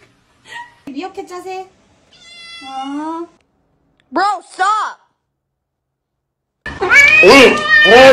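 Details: A cat meowing indoors: several rising-falling tonal meows with clear harmonics, some drawn out, then a loud burst of overlapping calls at the end, with a person saying "bro stop" and music.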